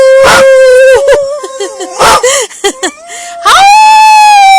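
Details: Two pet puppies howling along with their owner: short broken howls mixed with sharp yelps and choppy yips, ending in a rising, sustained howl.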